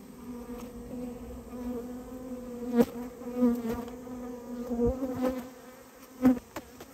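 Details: Japanese honey bees nesting in a storehouse, disturbed while the colony is removed: a continuous droning hum with layered overtones, punctuated by scattered taps and bangs.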